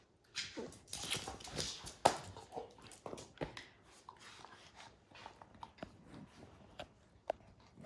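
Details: Max, a dog intent on destroying a baseball's hide, chews hard: dense, loud crunches and snapping clicks come in quick irregular bursts throughout, with brief pauses between bites.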